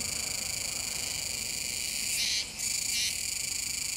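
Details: Kuroiwa's cicada near the Komegawa river mouth, Tenjin-cho, Nishinoomote, Tanegashima, Japan, on 7 September 2022: a steady, high, layered buzzing drone, broken by two brief, harsher bursts in the middle.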